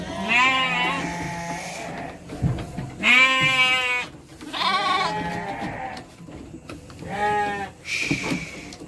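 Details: Young Garut petet sheep, around three months old, being sent to Purwakarta, Indonesia, bleat repeatedly: five tremulous, harmonic-rich calls roughly every one to two seconds, overlapping from several animals.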